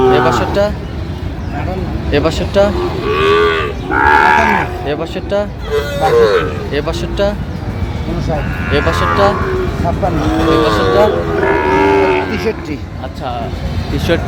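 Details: Lowing from Sahiwal bull calves at a busy cattle haat in Barishal, 23 June 2025, where 32 calves were bought: several tonal moos rise and fall between stretches of overlapping human voices and background noise.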